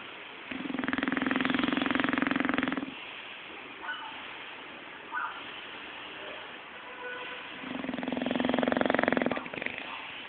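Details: Zé, a pet bulldog, snores while sleeping and dreaming: two long, rough, pulsing snores lasting over two seconds each, about five seconds apart, with small soft snuffles between them in a quiet room.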